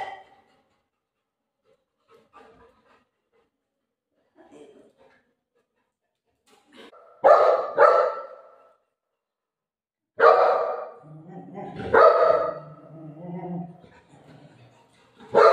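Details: Pet Golden Retriever, described as very fearful, heard indoors: faint scattered sounds at first, then two short harsh barks in quick succession, followed by a longer run of barking with drawn-out whining tones toward the end.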